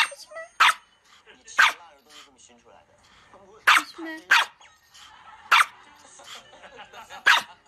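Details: Pomeranian dogs, puppies among them: sharp barks burst out roughly once a second in irregular bursts, with quieter yips between and faint music and voices underneath.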